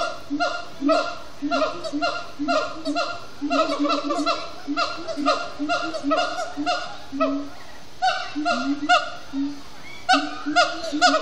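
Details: Siamang gibbons at sundown at Disney's Animal Kingdom, extended singing and chanting after brief frenetic play: rapid series of loud, harmonic hooting notes, several stacked overtones, pulsing unevenly about twice a second with short pauses.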